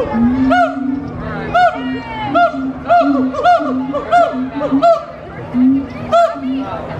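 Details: Gibbons at Disney's Animal Kingdom give loud, energetic singing calls, rising and falling whoops repeated in quick bursts.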